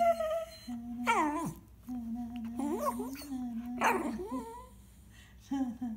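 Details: Small pet dog singing along indoors, giving wavering whines and three rising, yodelling howls that swoop up and fall, with steady low whining between them.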